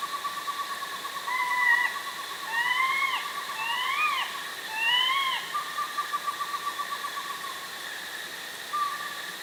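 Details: In a fall forest in the afternoon, a young bobcat gives a run of high, wavering, slurred yells, some rising and some falling, about one a second, over a steady breeze and birdsong.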